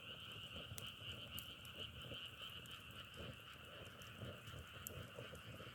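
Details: Frog chorus outdoors, sound likened to crackling firewood: a steady dense trilling hum in two layered pitch bands, with scattered sharp clicks and low rumbling underneath.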